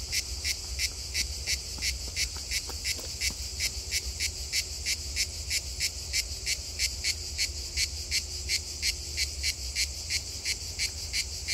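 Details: A grey cicada (Cicada orni) at Donzère, Drôme, France, sings a steady series of harsh, rasping pulses, about three each second.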